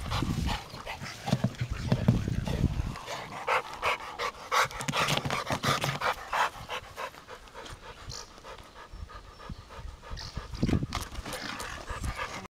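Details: American Bulldog panting rapidly, close and breathy, nearly three puffs per second, with a few deeper low thumps and rustles near the start and later on.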